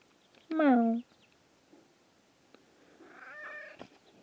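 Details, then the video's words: Pet cat at home gives a single loud meow lasting about half a second, starting high and sliding down in pitch with rich harmonics, then faint rustling and a softer vocal sound; people laugh and talk nearby. "Silly cats being wild"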